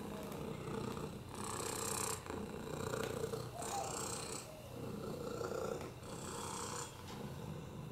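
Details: Domestic cat Oliver, rescued with a broken hip and FIV, purrs contentedly on a lap; low rumbling purr pulsing in breath cycles about every one and a half seconds, with raspy airy bursts on each swell.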